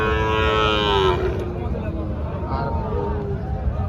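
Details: Sahiwal cattle at the busy Panchbibi market, Joypurhat, on 13 June 2024, where bulls are being bought and sold. A rich moo falls in pitch and fades after about a second, then voices and market hubbub fill the rest.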